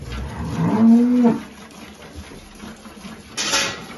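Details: A freshly calved Holstein cow at milking on a Salvadoran farm gives a short, even moo near the start, then a quiet pause before a burst of splashing or hissing noise.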